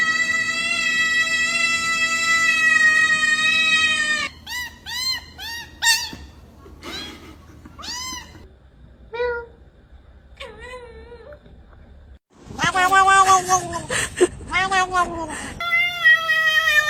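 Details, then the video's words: Domestic cat making weird sounds: a long sustained harmonic tone opens, then a series of short rising-falling meows and chirps, ending with louder wavering drawn-out meows; possible background music. "Weird cat sounds"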